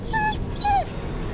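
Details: One-year-old Boston Terrier/Boxer mix dog crying in a car, a few minutes from grandma's house; two thin, high whines, the second longer and sliding downward at its end, over a steady low road rumble.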